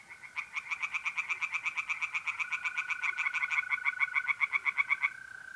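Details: Singing tree frog by a pond on an April night in north-east Italy, giving a fast series of sharp nasal pulses, about four per second for five seconds, over a continuous level trill of mole crickets.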